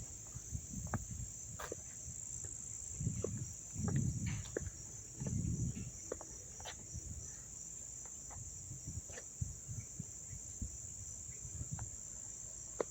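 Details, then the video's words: Up-close crickets in Dobbs Ferry, New York, on September 9, 2024, sustaining a constant thin high-pitched drone while low thumps, rustles and occasional clicks come and go in the foreground. "sounds of the crickets chirping"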